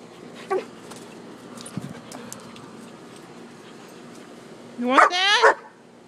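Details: Poodle and shepherd at play out back: faint soft yips early on, then a loud burst of rapid, rising, harmonic whining barks about five seconds in, with a person talking to the dogs.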